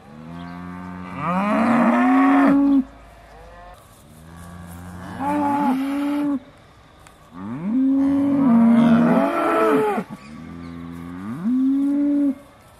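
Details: Aussie Red dairy cows at Beaulands in December 2012, mooing just before milking: four long harmonic moos, each rising then holding steady, spaced about three seconds apart with quiet gaps between.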